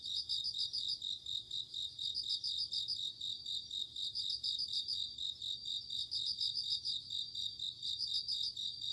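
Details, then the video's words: Crickets on an autumn night, a chorus of night insects: high, bright pulsed trills in bursts roughly every two seconds, laid over a steady shrill ringing drone from many callers, no other sounds. "鈴虫 夜の虫 虫が鳴く夜の雰囲気 コオロギ 秋"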